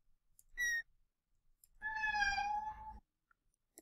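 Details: Two mews, the high-pitched mew subtype of meow: a brief, thin, high kitten mew, then a longer, fuller mew from an adult cat wanting a door opened.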